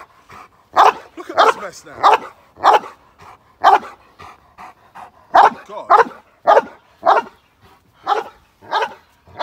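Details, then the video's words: London, UK: a male Cane Corso barks during k9 response training for a moped gang crime scenario. Sharp barks arrive in an uneven volley, some doubled close together, with quieter sounds between them. "Moped Gang crime in London UK k9 response Training Male Cane Corso"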